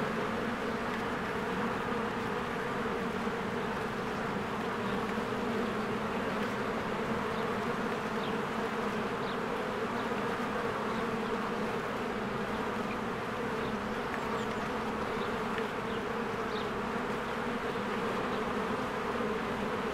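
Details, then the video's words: A swarm of honeybees working at their beehive in spring, giving a thick, constant buzz of many overlapping wingbeats, steady in loudness for twenty seconds, with sparse faint bird notes drifting above. "1 Hour of a Beehive ASMR"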